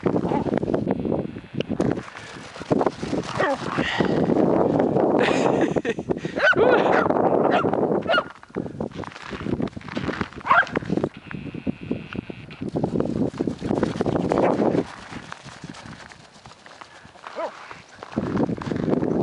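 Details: Wirehaired dachshunds play outdoors after freezing rain, giving rapid, hoarse, honking barks and growls, with a person talking and cheering now and then.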